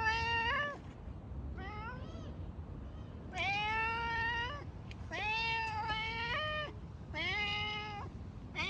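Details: Domestic cat meowing loudly, six drawn-out harmonic meows, some rising then falling, others level and nasal, spaced by short pauses, over a low steady background rumble.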